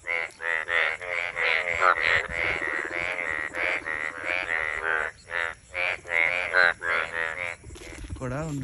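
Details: In the monsoon croaking season, frogs croak in a dense, rapid chorus of harsh, pulsed notes, nearly continuous and overlapping.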